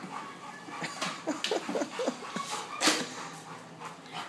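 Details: Max, a pet dog struggling to work out a treadmill, gives a cluster of short, thin whimpering whines in quick succession over steady rustling and thumping from the machine, with a sharper clatter near the end.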